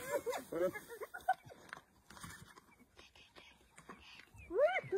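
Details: Wild African spotted hyena calling in short bursts of arched, harmonic yelps, one cluster at the start and another rising-then-falling call near the end, with low rustling and faint background noise in between.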